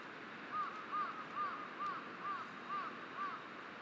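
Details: A grazing Hokkaido sika deer in Shiretoko, 23 April 2020, calls with seven brief, thin, arched squeaks, each rising and falling slightly, about two each second, over faint background hiss.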